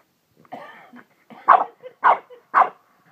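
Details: A dog said to have gone crazy makes rough, throaty vocal sounds, then three short, harsh barks about half a second apart.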